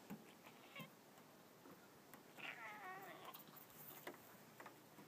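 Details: Savannah cat, a friendly male that goes on walks in the woods, giving one wavering meow around the middle, with a brief higher squeak just before, faint clicks and a soft voice in the background.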